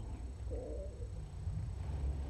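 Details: Feral female cat, trapped and infested with lice, purring during her intake exam as dirt is cleaned from her foot; low, continuous rumbling throb with a faint mid-pitched murmur near the middle.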